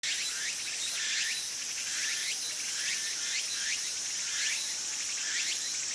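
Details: Tsukutsuku-boshi cicada singing in a Japanese summer: short upward-sweeping buzzy notes repeat roughly once a second over a dense, steady hiss of insect sound.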